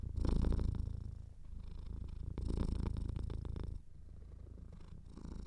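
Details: Slightly congested cat purring close to the microphone: rapid low rattling rumble in three breath phases, loudest at the start, then softer toward the end.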